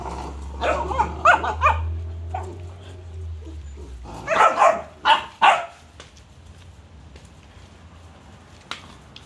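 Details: Cane Corso puppies playing, a run of rapid yappy barks at the start over a low steady hum, then a second burst of four loud barks around the middle, then quiet with a sharp click.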